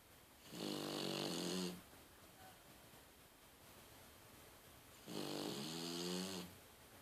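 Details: Snoring French Bulldog, a female called Daiwa, dozing with open eyes in a small room; two long, harsh snores of about a second each, buzzy with stacked harmonics and breathy hiss, spaced around four seconds apart with quiet between.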